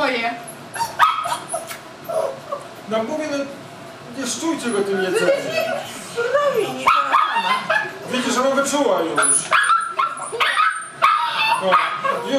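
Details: Seven-week-old Tibetan Mastiff puppy named Noodles at the Himaldog kennel, begging for food: high whiny yips and whimpers rising and falling through the clip, mixed with people talking nearby.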